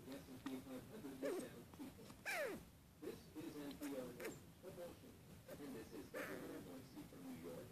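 A Russian Blue cat makes a series of brief, trilled meows and chirps in a quiet indoor room. One call stands out, a high note that swoops steeply down before the softer murmurs resume.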